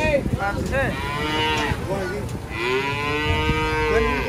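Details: Cattle coming down off a truck, with several overlapping moos: short, bending calls give way to a long, level bellow that holds through the second half, over a low rumbling background.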